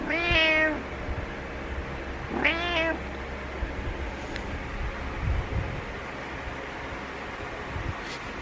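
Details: Pet cat Butters calling to wake its owner, two clear rising-falling meows about two seconds apart at the start, then quiet room hum with faint clicks and rustles.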